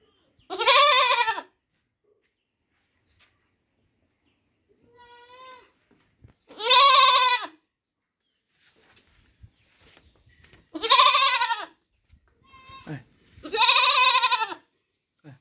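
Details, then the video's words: Young goat calling repeatedly: four loud, shaky baa bleats spread over fifteen seconds, plus a softer, thinner bleat midway and faint rustling in between. "Goat baby sound"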